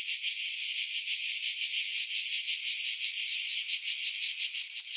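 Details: July cicadas in a pine grove above Pefkos Bay, Skiros, Greece: a high, rasping buzz swelling and fading about twice a second in a loose rhythm, recorded on a Sony RX3 with wind noise filtered away.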